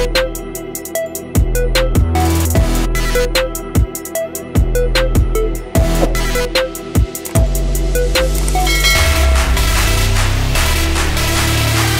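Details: Loud electronic drum-and-bass music with punchy beats, deep bass and bright synth notes, with no animal sound.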